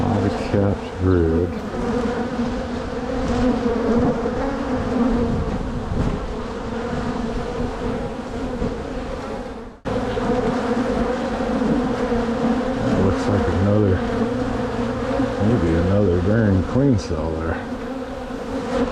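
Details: Honey bees from one of two strong hives split in spring to prevent swarming; a constant low buzzing hum fills the scene, broken by a short cut midway and wavering tonal sounds, likely handling or background noise, toward the end.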